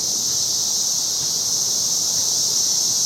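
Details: Periodical (17-year) cicadas in full chorus in a backyard in 2007 make a steady, high-pitched buzzing drone without pause that continues all day.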